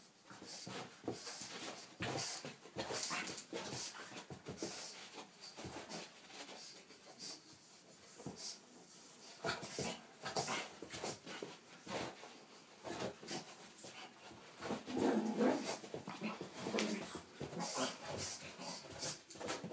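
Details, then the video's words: Pug named Frank, scared of a little cat toy indoors, pants and snuffles with short whining whimpers, a clearer whine near the end, over rustling and tapping sounds. "Pug scared of cats toy"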